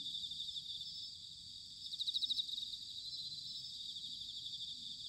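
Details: Autumn bell cricket chorus from Sanuki in Chiba, Japan: continuous high shimmering trills, with one nearer insect giving a brief burst of rapid ringing pulses midway before fading back into the dense background chorus.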